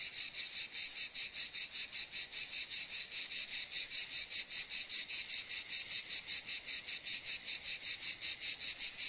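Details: Cicada calling with a loud, steady, high-pitched buzz broken into rapid, even pulses of several per second, unbroken throughout; no other sounds stand out.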